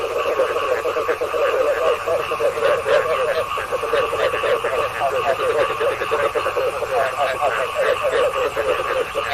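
Frogs croaking at night in a steady chorus of rapid, pulsing, mid-pitched trills.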